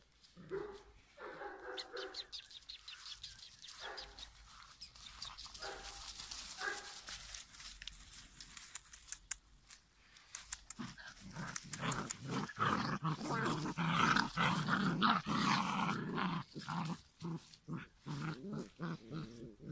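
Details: Five-week-old giant schnauzer puppies: low harmonic grunting growls in the first half, then dense scuffling and clicking noise with brief yelps as the puppies play.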